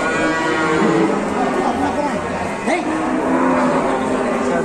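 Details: Huge cow in Indonesia drawing a crowd of onlookers and youtubers; a drawn-out harmonic moo wavers up and down over steady crowd chatter and background noise.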